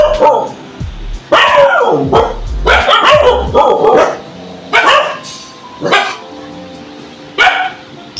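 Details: Pet dogs bark in loud, harsh bursts, singly and in quick clusters, about once a second with uneven gaps, over faint steady background tones, after fighting another group of dogs at about 6 a.m.; the owner thinks they suspect the rivals are returning.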